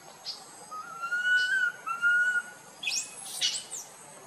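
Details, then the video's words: A tiny monkey crying loudly while wandering with its group: long, thin whistled tones held steady, then sliding slightly, in several drawn-out notes, followed by short high scratchy bursts. "tiny monkey Boston walk wandering his group try crying loudly call"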